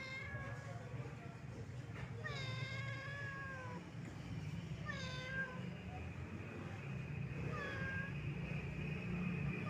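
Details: Wandering old domestic cat meowing sadly: four separate meows spaced a few seconds apart, some rising then falling, the later ones shorter, over a steady low rumble throughout.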